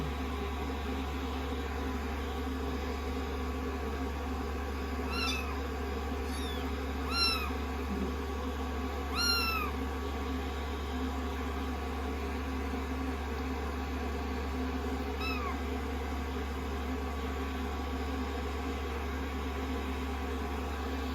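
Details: Rescued kittens, sixteen days into their growth record, resting on a lap indoors after a shampoo while being blow-dried; a few thin, high meows, several clustered between five and ten seconds and one more later, over the steady hum of a dryer.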